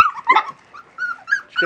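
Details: A 37-day-old West Siberian Laika litter, out in a puppy pen for the first time in nice weather, producing brief sharp yips and squeaky barks in quick bursts, separated by near silence.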